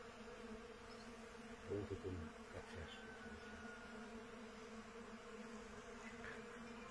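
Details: Honey bees gathering pollen from small thuja trees, a steady low hum with a rich overtone band, briefly swelling in loudness around the second and third seconds, over a constant background hiss.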